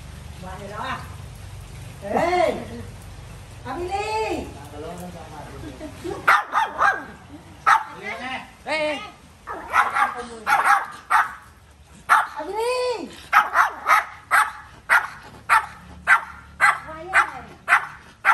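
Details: Pet dog giving drawn-out whining yelps at first, then a rapid series of short, sharp barks almost twice a second, with a person's voice mixed in at the start.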